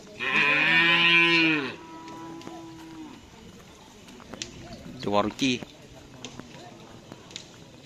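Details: Bull in karapan sapi race training gives a loud, steady, drawn-out moo lasting over a second, followed by quieter voices and a short bright burst of sound nearby.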